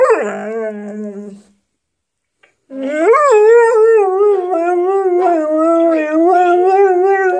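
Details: Pet dog chatting back to answerphone messages: a falling drawn-out howl, a short pause, then a long wavering howl that rises and dips in pitch, loud and continuous.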